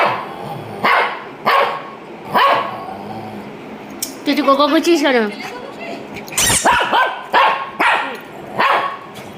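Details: A Shih Tzu gives short, separated barks spaced about a second apart. A wavering, voice-like sound fills the middle, and a human voice is also heard.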